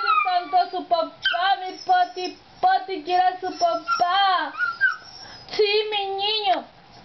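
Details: Pet dog howling at dad in a run of short, yodelling wavering notes that break into a longer, sustained falling howl near the end, with pauses between bursts.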